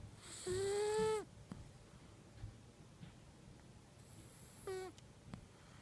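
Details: In deep sleep, the female cat Kitu lets out a loud, steady, whistling snore lasting under a second, then a shorter, quieter falling whistle about four seconds later, captured indoors on an iPhone.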